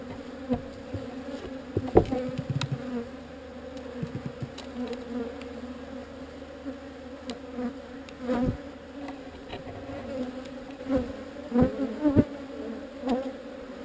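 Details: A relocated honey bee swarm hums steadily, with repeated louder swells and passing buzzes from bees flying close, plus a few faint knocks.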